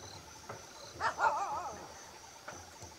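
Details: At Trimbakeshwar, Nasik district, a striped hyena gives a brief wavering, harmonic whine lasting under a second over a low background hiss.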